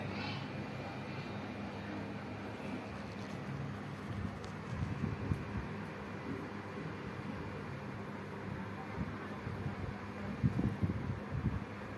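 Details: A steady low rumble like a passing vehicle or aircraft fills the background, with occasional louder thumps. No animal voice stands out.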